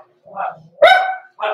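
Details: Blenheim Cavalier King Charles Spaniel puppy, six weeks old, in an indoor pen overnight; soft whine-like sound, then a sharp, bright yap and a shorter bark after a brief pause.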